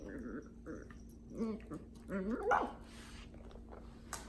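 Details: Dachshund puppy, a female, happily wriggling in her blanket bed, makes a run of short wavering whines and soft grumbly yips, the pitch bending up and down, with bedding rustle between.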